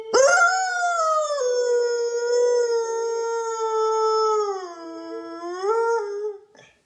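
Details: Siberian husky howling in the morning as part of a duet with its owner: one long, steady, tonal howl that holds level, dips lower near the end, then briefly rises before fading out.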